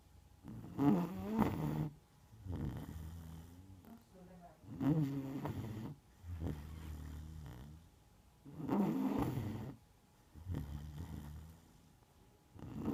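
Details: Sleeping Neapolitan Mastiff Margo snores steadily, each rough, gravelly inhale followed by a softer droning exhale, cycling roughly every four seconds in a quiet room.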